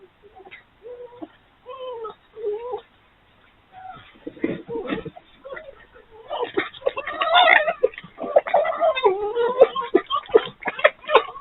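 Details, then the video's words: Three wild urban foxes playing at night, a mass play session sparked when a dominant fox arrived: short whining, wavering cries give way to a dense burst of harsh, stuttering chatter and squeals. "Sights and sounds of 3 Foxes playing"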